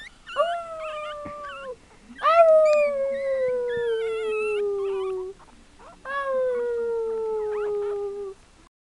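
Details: Chihuahua puppies howling: three long, tonal howls, each opening with a sharp upward swoop and then sliding slowly downward for one to three seconds, separated by brief quiet gaps.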